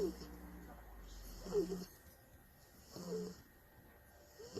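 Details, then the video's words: Tired bulldog sleeping and snoring loudly during a peaceful nap, with rough rasping snores arriving in short bursts about every one and a half seconds over a faint steady background hum. "tierd bulldogs snoring"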